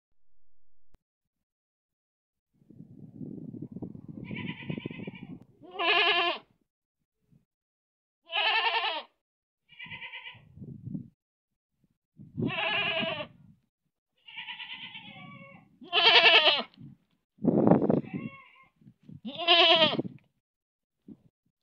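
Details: Goat in Manpur village bleating repeatedly, with loud wavering nasal baas roughly every two seconds, some high and some lower, between low rumbling grunt-like sounds and short pauses.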